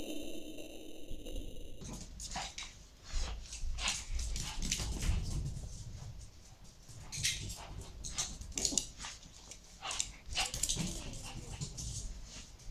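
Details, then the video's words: Shih Tzu named Cora romping with her favourite doll toy: a brief steady toy tone opens, then a run of sharp snuffles, huffs and rustling bursts while a person urges her on in Spanish. "SHIH TZU JUGANDO CON MUÑECO"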